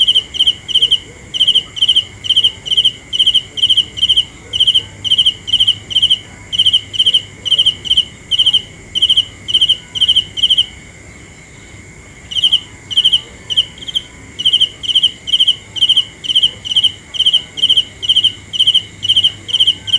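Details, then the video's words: Steady high-pitched cricket chirps, pulsed trills repeated roughly twice a second, break off for about two seconds midway and then resume at the same rhythm, with a faint continuous hum underneath. "The best sounds of Cricket 《 Suab Kab Ciliv Quaj Zoo Heev》 ( ສຽງແມງຈີ່ນາຍຮ້ອງດີໆ )"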